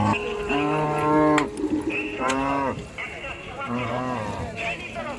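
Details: Cows being unloaded from the river side at a busy village cattle market, mooing repeatedly in long, low, harmonic calls, some rising then falling, with sharp clicks and crowd noise behind.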